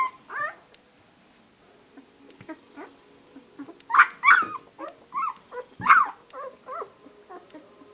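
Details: Young pups, week two, fuss with irregular whimpering: wavering, bent cries of uneven length, a louder cluster in the middle, mixed with soft grunts and small yelps in a quiet room.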